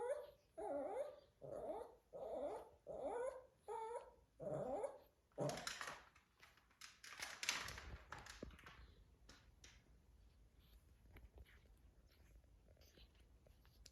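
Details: A Shih Tzu father whines in a run of high, wavering, nasal cries near his puppies, then falls quiet.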